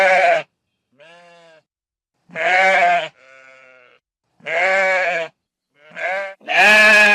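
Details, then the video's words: Several sheep bleating on pasture, loud wavering bleats alternating with softer, thinner higher-pitched bleats, about seven calls in quick irregular succession. "SOM DE OVELHA"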